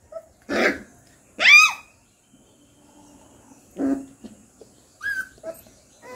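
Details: A three-week-old Rottweiler puppy in a quiet room lets out a few sharp yelps and squeaky cries with pauses between them, ending in a short high whine.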